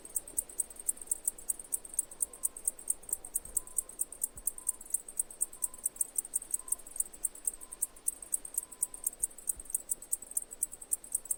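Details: Chirping cicada with rapid, high-pitched pulses running continuously at roughly five per second, plus a faint intermittent mid-pitched tone in the background.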